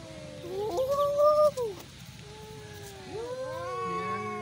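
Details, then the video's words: Fighting cats caterwaul: a loud rising-and-falling wail with overlapping voices around 1.5 seconds, then a quieter, steady drawn-out moan that swells again toward the end, over low background hum. "Cat Sound Fighting"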